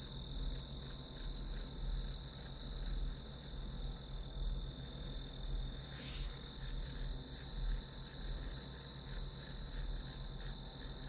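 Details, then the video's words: Grass insect chorus as study white noise. A high, pulsing chirr runs steadily throughout, with one sharp click midway and a low hum in the background. "풀벌레 소리"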